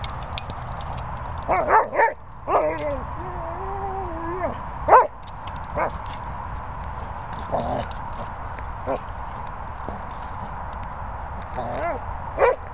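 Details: Labrador Retriever playing with a boomer ball; scattered high, wavering whines and yips, one drawn-out whine sliding in pitch, over steady background hum with clicking knocks.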